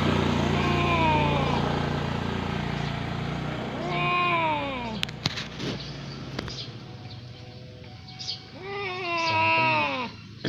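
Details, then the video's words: Domestic cat during a fight: long, wavering, drawn-out yowls that swoop up and down in pitch, several cries in a row, broken by a few sharp knocks or clicks midway, then a last rising-and-falling wail. "Cat Fighter"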